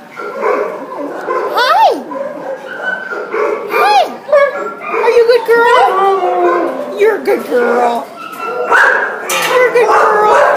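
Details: Border Collie Husky mix at the pound, December 27, 2014, wailing: sliding, rising-and-falling yowls and yips that arch up and drop, broken by short whimpers, with other voices in the background.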